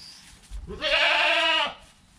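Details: Goat kid bleating within an hour of its birth, mother nearby, filmed on a GoPro: a single strong, slightly nasal bleat of nearly one second, steady then dropping at the end, over low background rumble.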